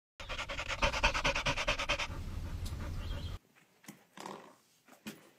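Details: Labrador Retriever panting hard in quick, rhythmic breaths for about three seconds, then falling into a quieter stretch of soft breathing and faint rustling.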